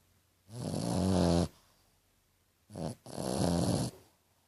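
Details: French Bulldog Tequila asleep and snoring like a piglet: one long gravelly snore, a pause, then a short catch followed by a longer rumbling snore.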